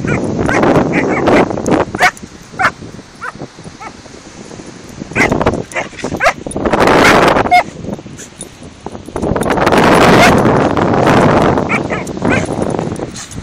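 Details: Doberman puppy Toby, 14 weeks old, and Border Terrier Harry, about 7 or 8 years, playing together on a beach; quick sharp barks come in a rapid run over the first seconds, between loud wind-blown rushes and people talking.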